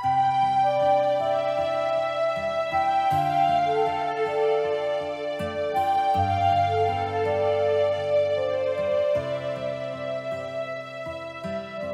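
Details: Soft, sustained instrumental music with layered chords and a slow melody; no animal calls.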